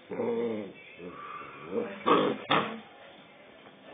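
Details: A two-month-old Rottweiler puppy turning aggressive, giving a harmonic whining growl, then softer rumbles and two sharp yapping barks close together.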